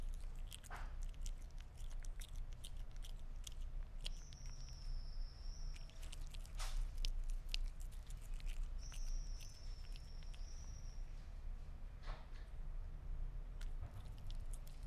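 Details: Sphynx cat chewing meat: scattered crisp crunches and bites with pauses between, two long thin high steady whistle tones passing midway, and a low hum underneath.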